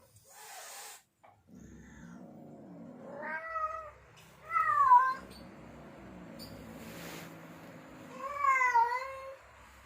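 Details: Male domestic cat in heat calling to attract females: long wavering harmonic yowls rising and falling, with a low rumbling growl-like tone between them and a brief noisy burst near the start.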